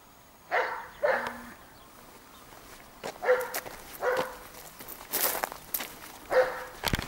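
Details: A Dobermann gives a series of about eight short, loud, gruff barks, some in quick pairs and others spaced roughly a second apart, with footsteps and scuffing noises between them.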